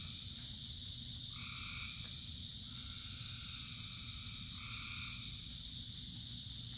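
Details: Frogs in the rain. Three clear bursts of lower, ringing croaks stand out against an unchanging high-pitched chorus, with a steady low patter of rain throughout.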